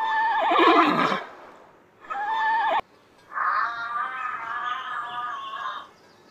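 A horse whinnies in three loud bursts, each a quavering, harmonic neigh that wavers and trails off.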